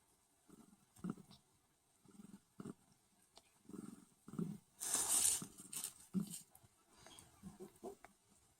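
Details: Newborn pink Sphynx kitten nursing from its mother; soft, short squeaky mews repeat roughly every half second, with a brief rustling burst midway.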